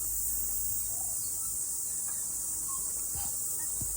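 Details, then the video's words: Cicadas singing after rain during a morning hike up a mountain: an unbroken, high, hissing buzz holds steady throughout, over a low rumble and a few faint scattered clicks. "Sounds of Cicada"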